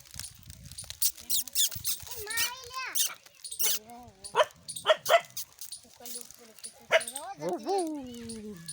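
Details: Puppies beside their mother whine and squeal, thin rising-and-falling cries repeated in quick succession, with some sharp clicks and an occasional voice in the background.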